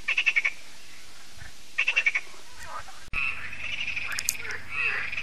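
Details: Lac de Sabatte frogs in France during their yearly evening concert: two short bursts of rapid pulsed croaks, then an abrupt shift to a denser, smeared mass of croaking voices.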